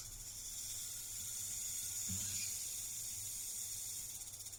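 A rattlesnake gives a steady, dry, high buzzing rattle, like fast-shaken maracas.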